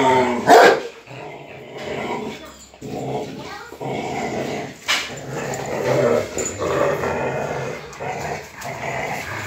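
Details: Rottweilers tussling over a motorcycle tire, low rumbling growls rising and falling in bursts, with a sharp thud near the start and a man talking in Portuguese in the background.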